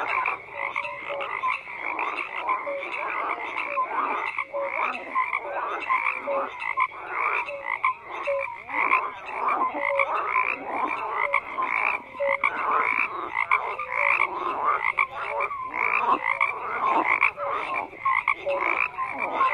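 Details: A dense chorus of many frogs croaking together, overlapping short pulsed croaks and brief whistled notes layered in a continuous, busy wall of sound with no other noises.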